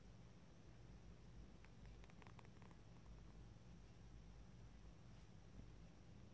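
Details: Two brother cats lying together in a cat bed, purring: a steady, low, rumbling drone that runs without a break, with a brief faint rustle near the middle.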